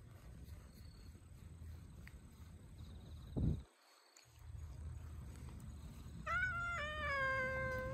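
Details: A cute kitten, which has finally let itself be touched, gives two clear, drawn-out meows in the last two seconds. The second meow sags slightly in pitch. Before them come low rumbling background noise and a single soft thump.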